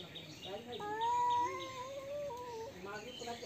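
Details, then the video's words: Domestic cats fighting: a long, wavering, tonal yowl swells and bends over about two seconds, with faint shorter cries around it and small birds chirping steadily in the background. "Cats Fighting with sound"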